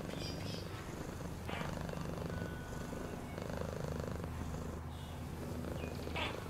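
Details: Low, rhythmic purr of a domestic cat running throughout, a dense rumbling vibration, with occasional faint whistle-like tones and soft rustles above it.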